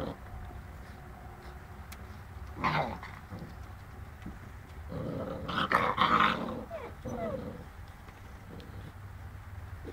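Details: Boerboel puppies, seven weeks old, at play with a cat: a short harsh growl near three seconds, then a longer burst of snarling, whining play noises around five to six and a half seconds, over low room noise.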